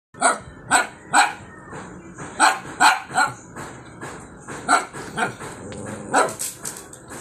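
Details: Shih Tzu (Canis familiaris), bark: anger.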